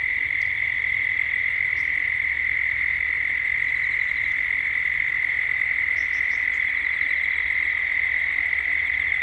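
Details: Gippsland, Australia, at dusk as cicadas and birds grow louder: the cicadas give a steady, sustained drone, and a few short high chirps are scattered over it.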